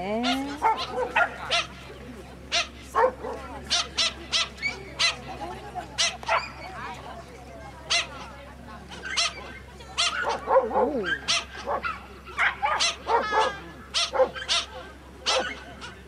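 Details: Toy Poodle running an agility course with 35 cm hurdles, giving sharp, high yipping barks in quick bursts about every half second, with a person's voice calling over them.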